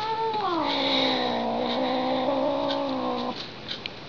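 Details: Domestic cat, female, indoors, reacting with displeasure after being tapped twice, likened to a theremin: one long sustained wavering yowl with gliding pitch, slowly falling then held steady for about three seconds before breaking off abruptly.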